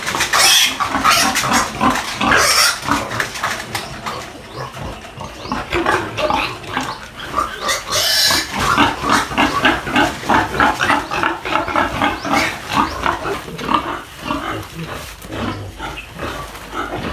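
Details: Two Duroc-Pietrain breeder piglets on a Philippine pig farm, squealing and grunting in dense, overlapping bursts, with sharp high-pitched squeals rising above the steady chatter and a few clattering knocks.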